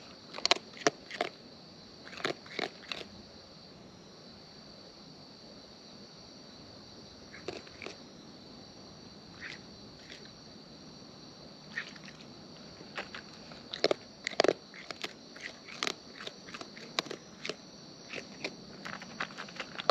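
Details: Wild raccoons eating up close, chewing in separated bursts of crunchy clicks, pauses of several seconds between bouts, with a steady high insect whine throughout.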